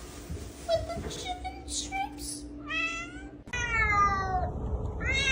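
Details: Domestic cat indoors, one of a compilation of silly pets, giving a series of short harmonic meows that rise and fall in pitch, some drawn out, over a steady low hum with human voices in the background.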